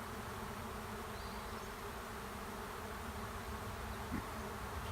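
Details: Honey bee swarm moving into an empty hive at the end of a driveway; a dense, steady low hum of many wings, even and unbroken, with a faint brief tick near the end.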